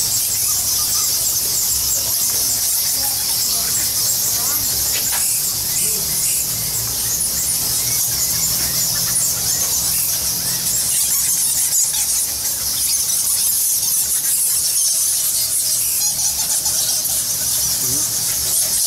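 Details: Thousands of bats in the Goa Lawah temple cave in Bali fill the air with a dense, constant chorus of high, shrill squeaks and chittering.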